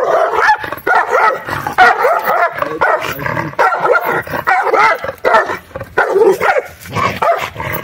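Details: Two guard dogs are compared: a black purebred Egyptian dog and a hybrid-born dog. They give continuous wavering whines and yelping yips, rising and falling in quick bursts about every half second, with no pause through the whole stretch.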